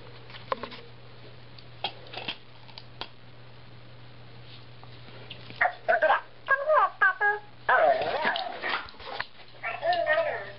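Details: Husky playing fetch with a talking ball toy; after quiet stretches with faint clicks, a run of high, wavering whines and short yips comes in broken bursts over the last five seconds.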